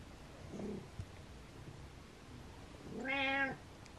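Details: House cat calling to wake its owner: a faint short meow early, then one clear harmonic meow near the end, rising and falling, with quiet room background.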